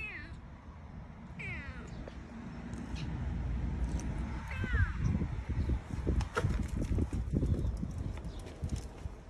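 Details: Jango, a young rescued kitten unable to see, mewing during eye surgery: several brief rising-falling meows early on, then human speech and a steady low hum through the rest.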